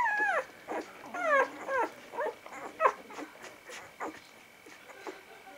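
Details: Vizsla puppies from the Batai litter, a little over a week further along, recorded 10 January 2013. High, quavering whines slide downward in quick overlapping bursts, with short squeaks in between and faint background hiss.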